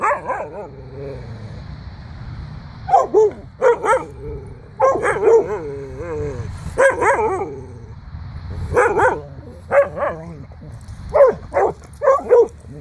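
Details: Pet dog barking on command after a person says "speak": about a dozen loud, sharp barks in short clusters of two or three, spaced roughly a second apart, with quiet gaps and faint background noise between.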